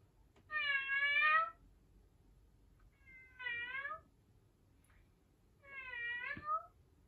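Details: Domestic cat in a quiet indoor room giving three clear, well-spaced meows, each a harmonic-rich, slightly rising then falling cry lasting under a second, with short pauses between them.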